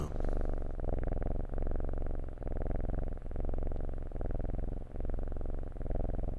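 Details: Sphynx kitten purring while cuddling, loud steady rumbling purr with rhythmic breaths in and out about every 0.8 seconds, low and continuous throughout.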